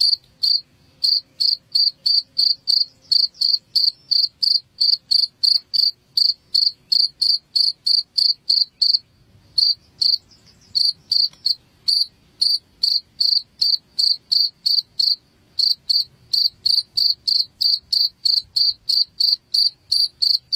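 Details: Cricket chirping, played to drive rats from a house: loud, high, even chirps repeated about three times a second, with one short pause near the middle.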